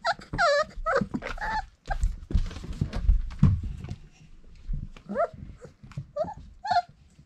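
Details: Four-week-old Irish Setter puppies indoors give high, whining whimpers with rising and falling pitch, several in quick bursts early on and more scattered later, amid low thumping and shuffling handling noise.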